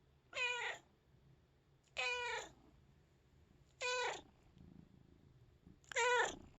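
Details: Cat crying after hearing someone yawn; four clear harmonic meows, each about half a second long, repeated roughly every two seconds in a quiet indoor setting.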